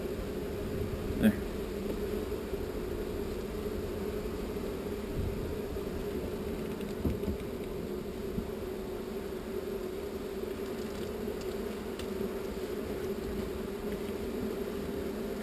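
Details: Honey bee swarm being moved from an unwanted spot to a new home: a steady, even hum with a low drone and a higher band that runs unbroken throughout, with a faint voice and a sharp click near the start.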